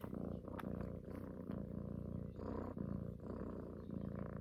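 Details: Female pet cat snuggling and purring, seeking motherly love by suckling a person's neck; low, grainy continuous purr with slight rises and dips and a few soft clicks of movement.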